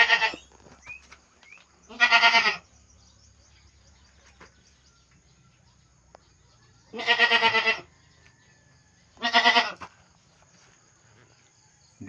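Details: Domestic goats kept by their owner in the morning, pregnant and close to giving birth: four loud, harmonic, wavering bleats, each about half a second long, at uneven gaps over a quiet background.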